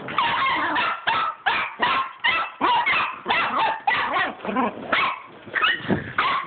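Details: Pet dogs chasing a tennis ball along a hallway bark excitedly in a rapid, nearly continuous series of high yapping barks, roughly two each second, with a few whiny notes mixed in.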